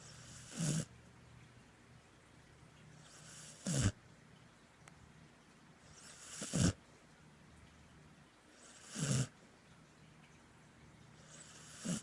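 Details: Border Collie snoring while asleep: five rough, rasping snores with deep low rumble and hissy breath noise, one every two and a half to three seconds, quiet room between breaths.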